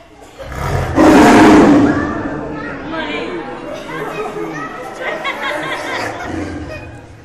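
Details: Angry captive Siberian tiger at Sofia Zoo, Bulgaria, letting out one loud, rough, rasping roar lasting about a second, followed by a crowd of people talking and exclaiming.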